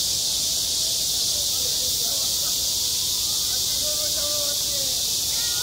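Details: School playground in high summer, ringing with a steady, piercing cicada drone that never breaks, and soft faint tonal sounds in the background.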